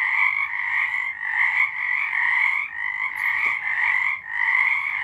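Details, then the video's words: Chorus of frogs singing at night in March 2023, continuous overlapping trills forming a bright, buzzing wall of sound that rises and dips in waves. "Frogs singing."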